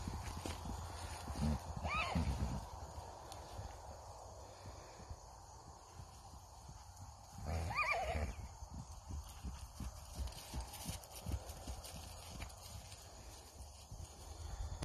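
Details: Hanoverian colt foaled in 2019 in Missouri, by Devon Heir, giving two fairly faint, high, wavering whinnies about six seconds apart, each falling at the end, against steady low-frequency background rumble.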